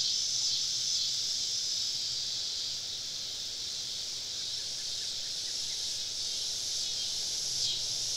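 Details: Cicadas singing all around a woodland camp on a southern summer evening: a dense, unbroken high shrill buzz with gentle swells in loudness and a faint low hum beneath.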